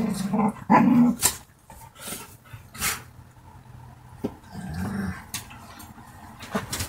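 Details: Dogs playing and fighting with each other: short bursts of low, rough growling in the first second and again near five seconds, broken by sharp scuffling clicks and snaps, with quieter gaps between the tussles.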